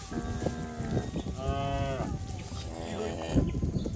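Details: Cattle herd jumping and running down a green hill in a village setting. Several drawn-out, low moos overlap one another, with a longer rising-and-falling moo in the middle. Rustling and hoof noise continue underneath.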